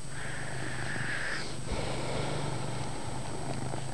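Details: Chase, a domestic cat, purrs loudly indoors in a dim room: a steady, deep, rumbling drone held evenly throughout, with a faint higher tone in the first second and a soft background hiss.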